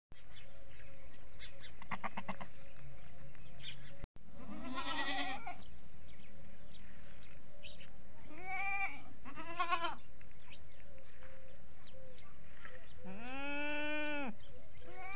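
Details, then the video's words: Goats on a goat farm, bleating mostly for feeding, one starting and the rest following; several loud wavering harmonic bleats, a long arched one near the end, with a steady low hum and background clatter. "Goat Amazing Sounds At Goat Farming | Bakre Ki Awaaz"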